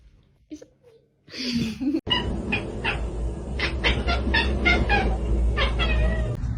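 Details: Domestic cat in a funny pet compilation giving a run of short, repeated harmonic meows, about four per second and fairly regular, over a steady loud low rumble of background noise.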